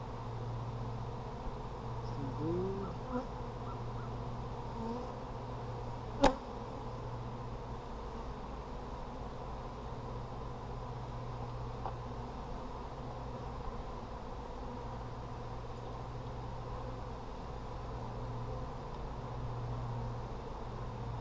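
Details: Honey bees in an Apimaye hive during a July 23, 2020 inspection that found plenty of brood make a steady low droning hum throughout, with one sharp click near the middle.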